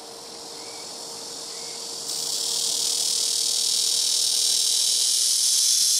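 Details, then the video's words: Blackish cicada (Korean 'malmaemi') singing loudly from a tree on a house rooftop, several calling in turn from nearby trees: a continuous high, harsh buzzing drone that swells louder after two seconds and holds steady, with a faint low hum underneath. "시끄러운 매미우는소리"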